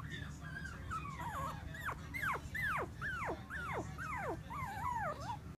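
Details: Female Bichon Frise puppy in Clearwater, Florida, giving high, thin whimpering squeals that swoop steeply downward, about a dozen in a quick, uneven series, over a steady low hum.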